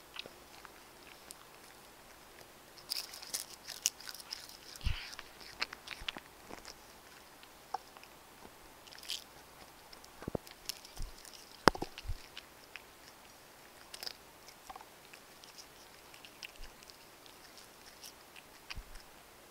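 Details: Domestic cats feeding indoors on chicken wet food, Royal Canin Ragdoll kibble and bonito flakes; steady, irregular crunching and biting, sharp cracks of dry food breaking every second or so, faint background hiss.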